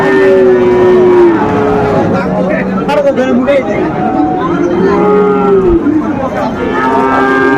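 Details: Young Sahiwal bulls at a cattle market in Mymensingh on 20 December 2024: a long, steady low moo opens the recording and another drawn-out moo comes near the end, over constant crowd chatter and bargaining voices.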